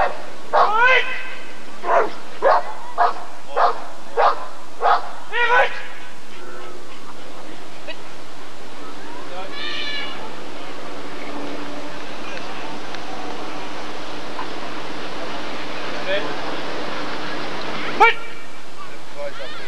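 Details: Rottweiler at the 1994 ADRK Körung breed survey barking in a quick series of about eight barks, roughly one every 0.7 seconds, then falling silent while people talk and a sharp knock sounds near the end.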